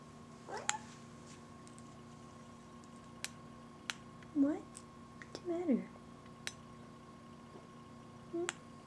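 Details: Buddy, a talkative female pet cat, gives several short curving meows spaced across the stretch, one drawn-out wavering meow near the middle, while a woman talks softly to her, asking what's the matter.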